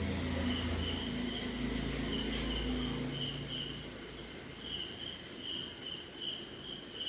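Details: Crickets on a rainy night in India: a sharp unbroken high trill and lower pulsing chirps continue throughout, while a low rumbling hum sounds during the first few seconds before dropping away.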